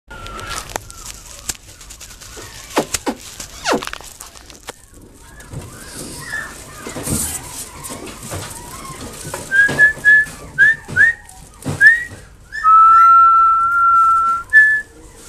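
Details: A young male long-coated Chihuahua, blue and cream, gives high, thin whines, short rising notes and then one long drawn-out cry.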